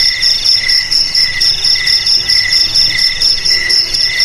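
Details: Cricket song offered as a sound to drive rats from homes, garages, storerooms and rice fields: steady high trilling with pulsed chirps repeating roughly twice a second, layered bright bands, no other sounds.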